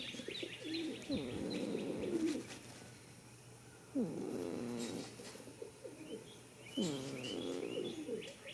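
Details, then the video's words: Snoring goat sleeping in a field on the first day of spring: three rough, moaning snores about three seconds apart, with soft bird chirps in the distance. "heres a goat snoring for 16 minutes"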